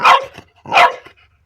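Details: French Bulldog at play barking at a pipe; two loud, sharp barks about 0.7 seconds apart, each short and punchy.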